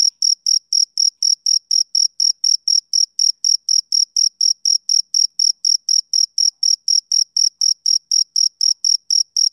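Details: Summer-evening chirping of a male cricket, bright high-pitched pulses repeating roughly four per second in a regular rhythm over complete silence.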